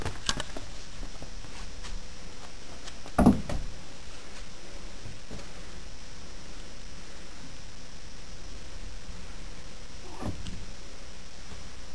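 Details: Quiet indoor room hum with a sharp knock near three seconds and a softer thud around ten seconds.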